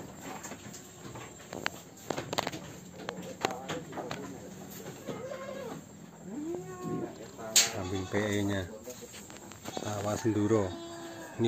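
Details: Peranakan Etawah goat, a large animal in Wonogiri, Indonesia, strong enough to break a weak pen, gives several wavering, arching bleats spaced a second or two apart, with voices and clattering in the background.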